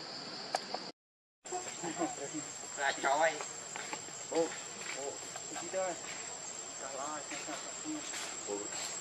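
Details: Baby monkey Lucie begging her mother for milk and being refused; wavering, warbling cries in quick bursts through the middle seconds, with a steady insect-like hiss behind and a short silent gap early on.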